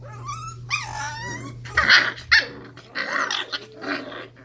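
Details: Five-week-old Cardigan Welsh Corgi puppies at play, indoors, trading short rising yips, squeaky whines and rough little growls in quick bursts, with a steady low electrical hum beneath.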